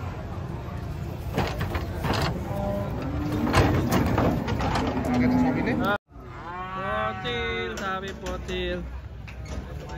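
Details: Cattle unloaded from a truck, a mix of voices and handling noise in the first six seconds, then after a brief cut several clear harmonic moos rising and falling in pitch.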